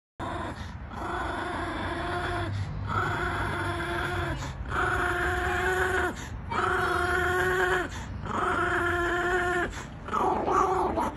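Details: A Chihuahua makes a steady run of drawn-out, nasal whining tones. Each lasts about one and a half seconds and they repeat almost without pause, with short breaks between them.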